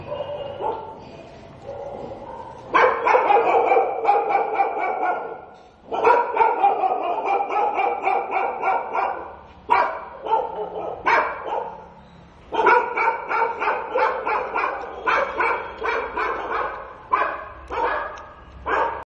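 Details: Stray dog in daylight barking in long excited volleys, dozens of quick barks packed into bursts of a few seconds, each burst separated by short gaps, with low background murmur.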